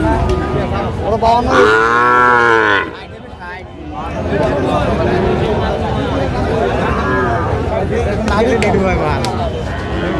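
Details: At a Comilla cattle market in Bangladesh, 19 April 2025, where Sahiwal bull calves are traded: one loud, rich moo swells and holds for about a second, then busy market babble and scattered lowing continue.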